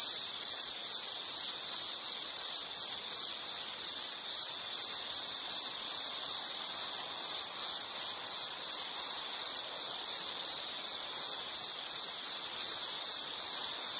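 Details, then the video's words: Insect chorus from a nature-sounds relaxation recording: a continuous high, shrill trill with steady pulsing chirps, unbroken for the whole stretch, no other sounds. "Nature Sound of nature sounds scenery L · insect"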